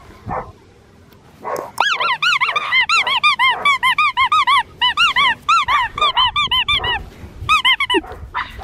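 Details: Red tri male Australian Shepherd puppy giving a rapid run of high, squeaky yips about twice a second, each a short arched note with bright overtones, after a couple of louder lower barks at the start.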